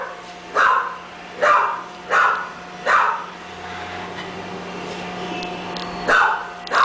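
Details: Barking from English bulldog puppies bred at a kennel: four quick yaps at uneven spacing, a pause of about three seconds, then two more, all over a constant background hum.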